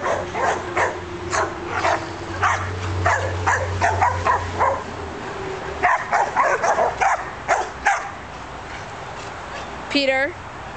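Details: Australian Shepherds bark in quick, sharp bursts, one dog hiding in a bush, then a brief high whine near the end.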